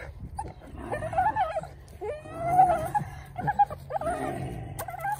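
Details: Belgian Malinois puppy in protection training, giving drawn-out whining whimpers in four bursts, each wavering and slightly rising, with low rumbling background noise.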